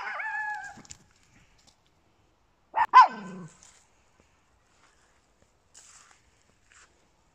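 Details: Small indoor dogs, Papillons with a Yorkshire Terrier: a high, steady harmonic whine lasting almost a second, then silence and a single sharp doubled bark around the third second, followed by faint rustles.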